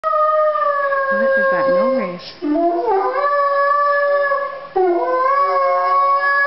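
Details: Young male Chesapeake Bay Retriever, 10 months old, howling at Christmas time: long sustained tonal howls with rich harmonics, wavering and sliding in pitch, broken by short pauses into about three drawn-out phrases.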